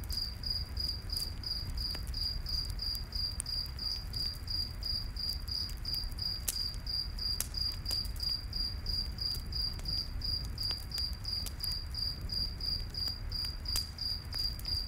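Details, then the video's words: Night-forest crickets trill in rapid even pulses, roughly three per second, high and continuous throughout, while a campfire crackles and snaps beneath with a deep low roar. "Campfire In The Night Forest w/ Cricket Sounds"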